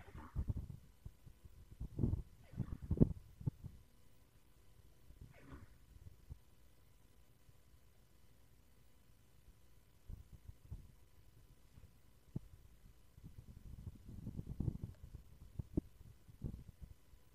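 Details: A muskox at the Large Animal Research Station, University of Alaska Fairbanks, in a sneezing fit around 1:25 pm on 23 May 2024, gives short, explosive snorting sneezes with deep, breathy rumbles between them.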